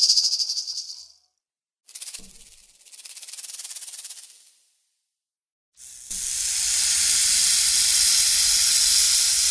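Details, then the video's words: Snake hissing in short broken bursts separated by silent gaps, then a steady, loud, breathy hiss that holds for the last three seconds. "Snake sounds"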